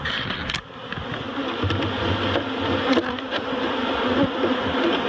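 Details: Loud, full buzzing of a honeybee swarm while it is transferred from a barrel to a new home at Miss Bee Haven, joined by sharp knocks and handling noise.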